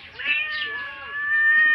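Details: Hungry house cat meowing: a short rise into a long, steady, high-pitched wail that grows louder towards the end.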